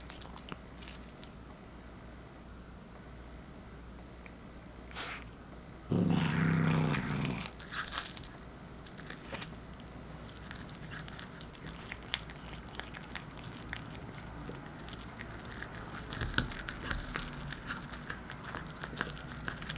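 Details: Indoors, a one-year-old tortoiseshell Munchkin named Anzu eats heated corn while Will, an eight-year-old black male cat, watches; a brief low growl of about a second and a half rises above quiet, steady chewing and crunching.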